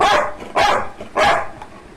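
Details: Labrador Retriever barking: three sharp, loud barks in about two seconds, each a short broadband burst, spaced roughly half a second apart, with faint background noise between them.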